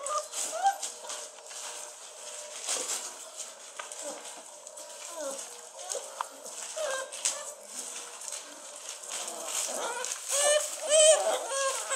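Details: Basset Hound puppies aged 43 days whine in thin, squeaky, rising and falling notes, with faint voices underneath.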